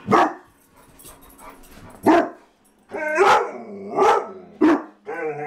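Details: A Mastiff and a Husky guarding the house after a stray dog passed the front door. Six sharp barks at irregular intervals, some with a ringing, whine-like tone, over a low steady hum.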